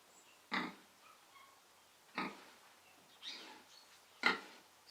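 A domestic pig gives four short, rough grunts spaced a second or more apart.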